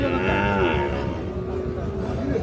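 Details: Sahiwal cattle at the Ambari cattle market in Parbatipur, Dinajpur, where calves are traded; a low drawn-out moo with a steady harmonic tone, over constant crowd chatter and market noise.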